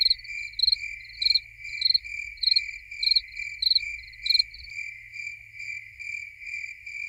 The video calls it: Only Crickets (Nature Sounds)